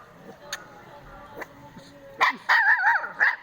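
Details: Indian pariah dog puppy giving loud, whiny, wavering yelps in three quick bursts near the end, each bending up and down in pitch, after a quiet start with faint clicks.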